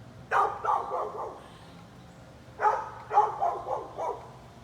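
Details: A neighbour's dog barking nonstop at a person blowing leaves; two clusters of three to four rough, slightly drawn-out barks separated by about a second of quiet, over a low background rumble.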